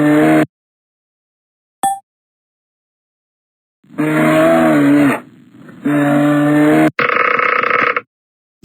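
A bear makes low, drawn-out groaning growls, rough and throaty, each lasting about a second. The growls come in two main bursts, followed by a harsher, noisier rasp.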